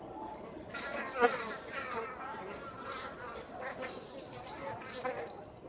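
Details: Japanese honey bees foraging flights near their nest at Osaka Castle, Japan, on a warm day in late autumn; wavering, Doppler-like buzzes swell and fade as bees zip past, over a constant low hum.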